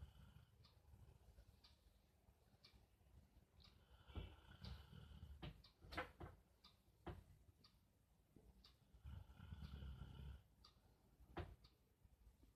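A sleeping Rottweiler snores in deep, rumbling breaths, with a few small clicks and knocks between them.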